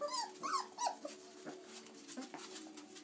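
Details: Chocolate Labrador Retriever puppies, 26 days old, playing indoors after climbing out of the whelping box; a few short rising whines and yelps at the start, then faint scuffling.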